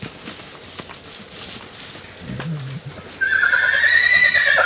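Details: Wild horses in Arizona, a vocal band of bachelor stallions challenging other stallions: after quiet clopping and faint scuffs, a loud high neigh begins near the end, harmonic-rich and slightly rising, held over a second and a half.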